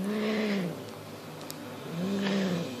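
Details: Monty, a six-month-old Highland Lynx cat, guarding a fox tail on instinct: two steady, arching low growls with a moaning tone, separated by about a second of quiet room hiss.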